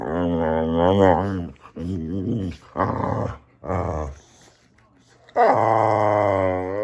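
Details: Boxer dog named Samson, close up indoors, giving wavering harmonic growl-moans in four bursts, then a quiet pause and a long loud sustained groan at the end.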